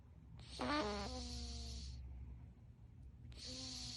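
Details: Sleeping fourteen-year-old Russian Blue named Storm lets out a raspy snore carrying a faint whistling tone, followed after a pause by another airy, whistly breath, with a low background hum.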